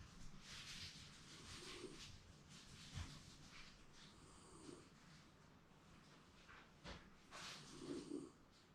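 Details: Round-bodied Shiba Inu dog napping contentedly indoors, seemingly dreaming; soft breathy, hissing snores come as several uneven breaths across nine seconds over a faint low room hum.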